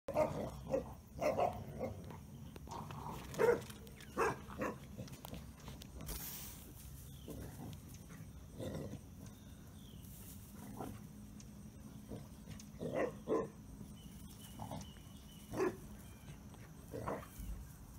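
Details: Basset Hounds play-fighting in a pit give short, gruff grunts, snorts and low growls in uneven bursts a second or two apart, with soft rustling and a faint hum between.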